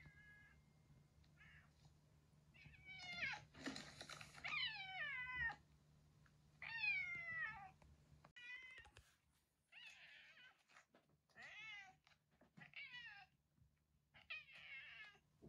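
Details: Domestic cat vocalising near a retired boss cat named Yongo (Kuro), once ruler of a residential area and now in end-of-life care at home. Drawn-out wavering yowls and harsh screeches come in irregular bursts over a steady low indoor hum.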